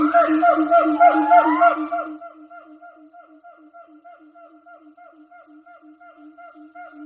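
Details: Siamang gibbons, several troops calling in the jungle, heard from a distance: loud, tonal, rapidly repeated hoots with rising swoops that fade into steady pulsing notes.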